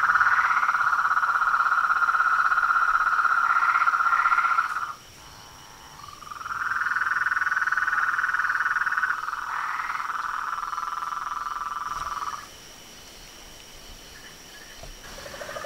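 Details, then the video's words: Nightfall chorus of toads, frogs and tree frogs at a reservoir beside a house, calling undisturbed by a light: long buzzing trills in bursts of several seconds, separated by sudden near-silent pauses before the next burst starts. "A SINFONIA DOS SAPOS, RÃS E PERERECAS"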